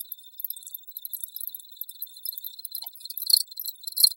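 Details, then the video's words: Cricket chirps repeated in quick, uneven pulses at a high pitch, growing louder and fuller over the last second. "Crickets Audio Sample"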